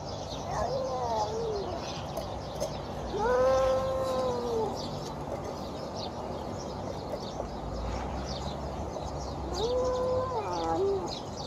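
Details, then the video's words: Hungry feral cat at feeding time among stray cats makes odd drawn-out meows: three harmonic cries, the middle one longest, each swelling and then sagging in pitch. Steady outdoor hiss underneath. "Hungry Feral Cat Makes Weird Noises!"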